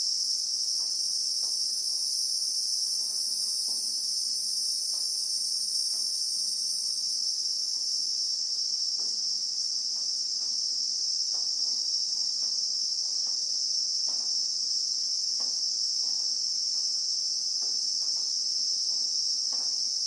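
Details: Relaxing bushveld soundscape from South Africa, in real time: Christmas beetles (Anoplognathus) keep up a dense, unwavering high-pitched whine for the full twenty seconds, while sparse dry clicks sound faintly beneath.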